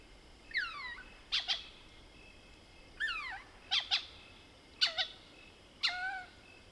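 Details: Lesser bushbaby (Mohol's bushbaby) at night in the African bush, Soutpansberg, South Africa: four clusters of downward-sliding squeaky cries, each paired with short sharp clucks, about one cluster per second; faint constant insect drone.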